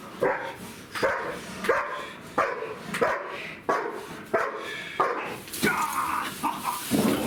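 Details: Siggi, a two-year-old German Shepherd bitch, is nervous during bite work in an unfamiliar setting. She gives a steady series of loud, harsh barks roughly every three quarters of a second, with noise and movement in the background.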